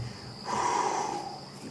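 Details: On an evening sunset drive at Djuma in the Kruger area, an African buffalo grazing about 3 ft away breathes out hard through its nose in a soft, breathy whoosh, with crickets and insects buzzing steadily behind.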